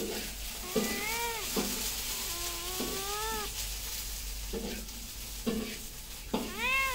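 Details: Domestic cat meowing repeatedly: several drawn-out, arching meows, some rising then falling, spaced one to two seconds apart, over a steady hiss of background noise with soft thumps.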